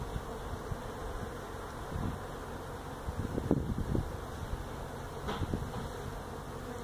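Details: Feral honey bees disturbed during removal of a hive built inside a tractor tire, stacked at a citrus orchard in Mission, Texas; a steady low droning hum with scattered handling knocks and thumps.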